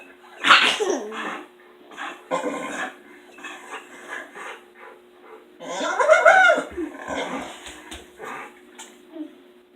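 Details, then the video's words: Pet dog making odd whining and yelping noises while left alone in the house after two other dogs leave; a series of irregular whimpers and squeaky vocal bursts with a steady background hum. "Dog makes Hilarious noises!"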